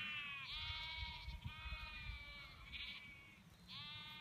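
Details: Sheep in the Cotswolds, England, bleat in overlapping, drawn-out, wavering baas. The sheep call several times over four seconds against a low rumble of wind or handling noise.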